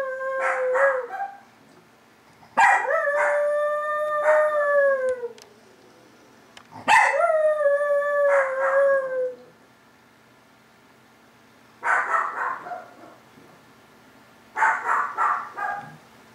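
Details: Chihuahua named Vanilla, a female who normally just barks, howling indoors: long wavering tones that rise then slowly fall, three drawn-out howls with pauses, followed by shorter barking bursts from another chihuahua in the background.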